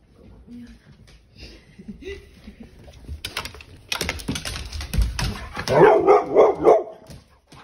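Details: Pit Bull named Ranger, angered by having his tail grabbed, indoors: human voices talk first, then a burst of several quick, rough, growly barks in close succession near the end.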